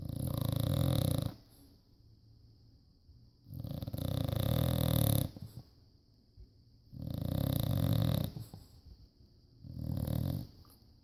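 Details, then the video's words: Sleeping bulldog, a rescue dog, snoring indoors: loud low rumbling snores about two seconds long, separated by quiet pauses, four snores in a slow even breathing rhythm. "Snoring bulldog"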